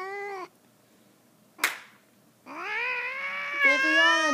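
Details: Adult male house cat, territorial and afraid, wailing at a new kitten indoors: a short tonal yowl, a pause and a click, then a long drawn harmonic-rich caterwaul rising slightly and wavering.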